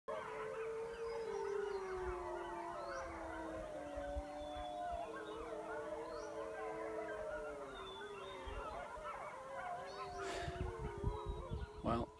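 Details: Wild wolf pack near a den with pups by a high mountain lake, answering a man's imitated howls: several long, smooth, overlapping howls that slowly fall and waver, with higher yips layered over them and background music throughout.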